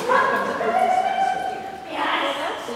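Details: Kismet, a Siberian Husky in the senior class of a UKI Speedstakes dog agility run on 16 October 2016, gives a drawn-out, tonal whine that holds steady and then shifts higher near the end, over the noise of a busy indoor venue.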